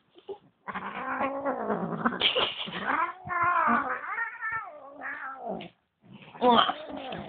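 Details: Angry female Bengal cat indoors, upset that a second cat was brought home: loud, continuous, strained yowling with bending pitch and rough harmonics, a brief silence, then one more short howl.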